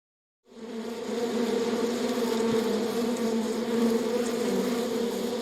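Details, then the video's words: Honey bees humming inside a beehive: a dense, continuous drone begins abruptly after brief silence and holds steady, thick and layered with many overlapping wingbeats, a low hum under a brighter buzzing sheen. "BEEHIVE SOUND"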